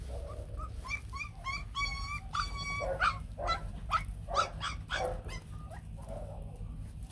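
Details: White, fluffy Bac Ha dogs, a native Vietnamese breed, a mother with three puppies: high, thin whines and yelps with clear overtones, about fifteen short calls in quick, uneven succession, some rising then falling, over a low background rumble.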